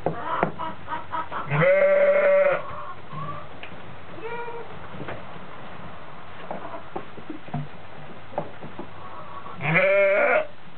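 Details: Newborn twin goat kids on the day of their birth, with a large adult goat close by; two long, loud, quavering bleats with rich harmonics, each lasting about a second, separated by softer short bleats and rustling.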